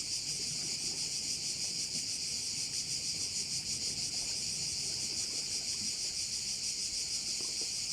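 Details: Loud cricket chorus at a bay in Korčula, Croatia: a piercing high buzz pulsing rapidly, about three beats per second, steady throughout with only faint low background sound.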